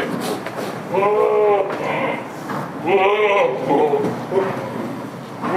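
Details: Goats bleat on a village farm keeping Damascus and Jamunapari breeds: two long wavering bleats with stacked harmonics, each about half a second to a second, over a busy background of voices and farm noise.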